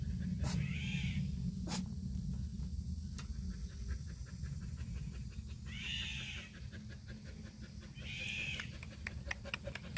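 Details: Black purebred Jindo dog giving three short, arched, high whining calls spaced a few seconds apart over a steady low rumble, with scattered clicks and taps in between.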